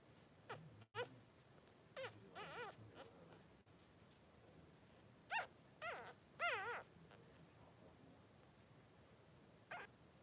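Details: Two newborn Blenheim Cavalier King Charles Spaniel puppies, 3 days old, in a puppy pen with their mother: wavering, high squealing whimpers in short bursts, a pair near two seconds and a louder cluster around six seconds, over quiet room hiss.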